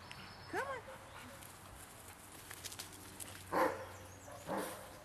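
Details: On a walkabout, large dogs bark: one arched yelp early on, then two loud, rough barks about a second apart near the end, over steady low background noise.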